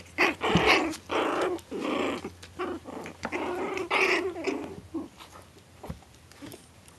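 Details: Four-week-old Maltese Shih Tzu cross puppies in a litter, indoors, producing rough, noisy growling bursts in an uneven run of roughly two per second, mixed with soft squeaks and a steady low hum.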